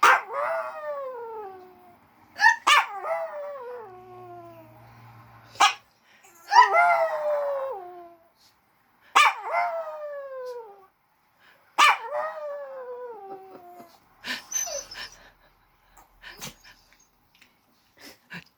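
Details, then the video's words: Small dog named Maryjane howls in reply to a person's hiccup: a series of long, falling, wavering howls about every three seconds, separated by sharp hiccup-like clicks, ending in softer yips. "Maryjane howls at aunt Dorothy hiccup"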